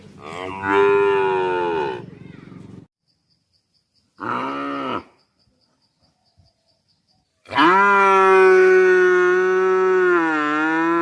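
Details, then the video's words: Cow mooing in three separate calls: a long harmonic moo, a short rising-falling bellow, then a loud drawn-out steady moo over three seconds, with silent gaps between. "Cow Sound Effects Mooing Video"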